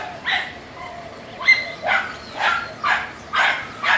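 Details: Dachshund showing road rage: a run of six loud, high yapping barks spaced roughly half a second apart, with a faint whine between them.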